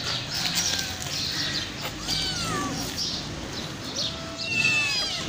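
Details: Homeless, hungry mother cat with five kittens, crying loudly before being offered food. Several overlapping meows rise and fall and come in quick succession over a steady hiss of background noise.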